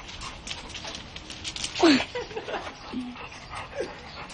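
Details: A pet female dog sneezing: one sharp, loud burst midway with a brief falling squeaky note, followed by softer snuffly breaths and small whimpering yips against a quiet indoor background.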